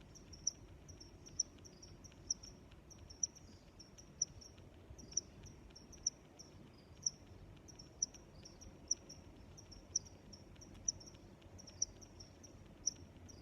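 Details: Steady cricket chorus: one loud high chirp repeated about every second for the whole stretch, with weaker overlapping chirps from other crickets and a faint low hiss beneath.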